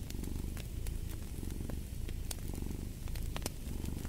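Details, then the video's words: Close, rich cat purr, a low vibrating drone rising and falling with inhale and exhale, with scattered crisp pops from a fireplace. "Purring of a Cat"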